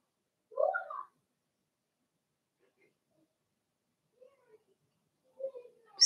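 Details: Blenheim Cavalier King Charles Spaniel puppies from Remy's first litter of six, two females and four males, in an indoor puppy pen; a single short, high squealing whimper, then near silence with a few faint soft sounds.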